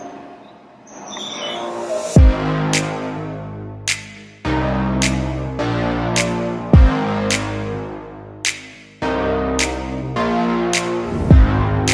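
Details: Electronic music with a deep bass line and sharp percussive hits every couple of seconds; no animal voices.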